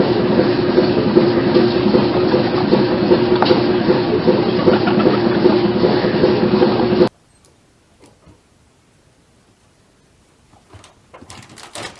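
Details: Loud rumbling train-like roar for seven seconds, then near silence broken by faint clicks and brief handling noises.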